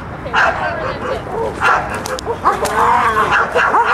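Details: Protection-work dog Mako barking after the out: loud, clipped barks with falling tones come in quick bursts, some closely doubled, with only faint voices in the background.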